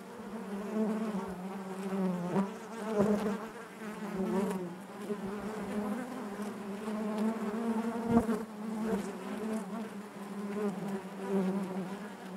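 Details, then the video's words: Honey bees humming in their hive: an unbroken low buzz with layered overtones, gently pulsing in loudness, with occasional brief clicks or knocks against the drone. "bees therapy hive natural buzzing sound"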